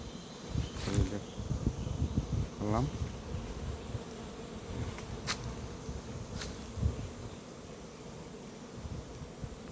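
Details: Honey bees fighting inside a hive box left without food make a continuous low, droning buzz. Brief human speech and scattered knocks and clicks sound over it early on.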